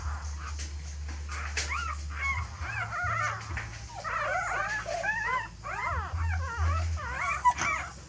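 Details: Dog whimpering while a mother dog seems to move her puppies to a new nest, perhaps because it is too messy; many short arched, whiny squeals come in quick runs, with a low steady hum underneath.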